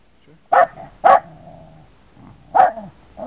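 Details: Dog barking at a cat: three loud, short barks with brief pauses, trailing into a lower growling undertone after each bark.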